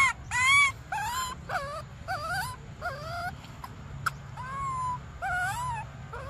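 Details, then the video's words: Baby monkey Briar pleads for milk with a rapid string of about eight wavering, bent cries, the first loudest, followed by a longer flat whine, all over a continuous low droning hum. "Desperate Baby Briar Cries For Milk"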